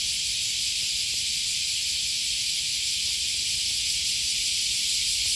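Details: Cicada droning on an August morning beside the Okawa River near Sakuranomiya Park, Osaka, Japan: a steady, hissing high buzz that never breaks, with faint footsteps and low city rumble beneath.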